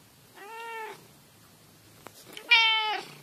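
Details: Cat with an unusual meowing voice: two short, clear, tonal meows about two seconds apart, the second louder and brighter, with a faint click between them.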